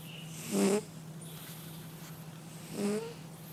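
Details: Two nasal snore rasps from a sleeping male cat, a little over two seconds apart, each a brief rough buzz with a slight upward lift, over a constant low hum in a quiet room.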